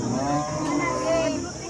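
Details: Cattle at a cow market in Sangola, Maharashtra: a low, drawn-out moo layered over constant crowd murmur and background chatter.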